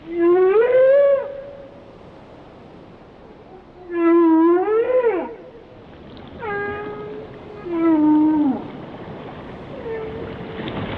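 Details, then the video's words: Whale song of loud harmonic wails that swoop up then down, repeated roughly every two seconds, with a fainter fifth call closing the phrase over a quiet sea. "Song of the Whales"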